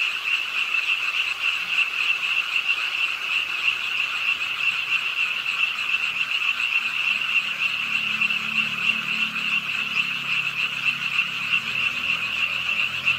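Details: A rainy-night frog chorus from the pond in Suwon's Ingye Art Park: many rapid, high, rattling croaks blending into one steady drone, with rain hiss and a faint low rumble in the second half.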